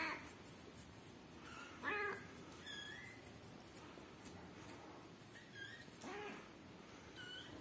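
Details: Rescued kittens with their mother, indoors. Several short, high-pitched mews come in scattered bursts over seven seconds, some rising and others falling. Soft clicks and rustling run beneath them.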